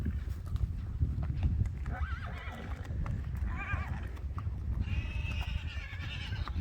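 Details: Friesian horses in a herd: Geertje getting reacquainted with Frieda and Hester, fighting out who leads. Several wavering, quavering whinnies come in short bursts mid-clip and again near the end, over steady low rumbling noise and hoof thuds.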